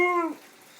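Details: Dog raring to go gives a short tonal woo, a clear harmonic note held steady for about a quarter second then sliding downward as it fades, recorded indoors between a person's spoken words.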